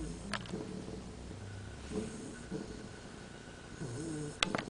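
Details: Luna, a sleeping dog, snoring indoors: low rumbling breaths with soft nasal snorts, a faint steady whistle-like tone running through, and a sharp click near the end.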